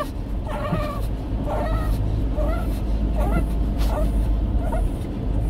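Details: Jjongi, a 17-year-old Shih Tzu with dementia, restless at night at home: a run of high, wavering whines, each about a second apart, over a steady low hum.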